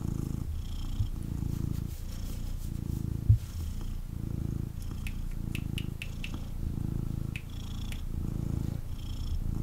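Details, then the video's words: Male kitten purring intensely while held and cuddled indoors; a steady low rumble pulses in breath-length cycles about every second, with faint higher clicks and rustles. "Kitten Purrs and Snuggles"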